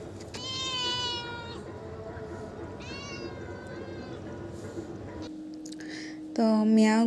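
A domestic cat gives several drawn-out, harmonic meows, with a person speaking in the background.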